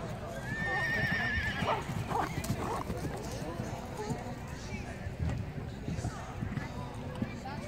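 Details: A mare at a show-jumping event in Buurse on Horse Day 2016, where she refused jumps; a shaky, quavering whinny comes in the first second, followed by hoofbeats, rustling and people talking in the background.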